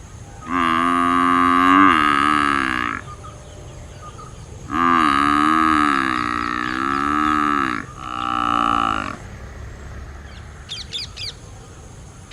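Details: Water buffalo (Bubalus bubalis), call.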